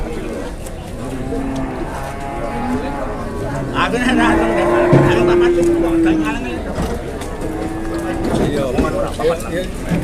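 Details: Indonesian cattle; one long, steady, flat moo lasting about two seconds mid-stretch, preceded by softer lowing, with chatter, clatter and rustling noise around it.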